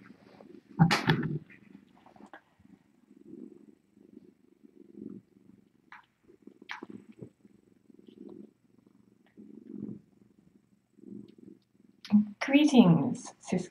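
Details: Domestic cats purring late at night on the Sisko cam, a live-streaming rescue cam at the Tiny Kittens Society; a low, rumbling purr comes in pulsed phrases about a second long, with soft clicks and brief louder rustles near the start and end.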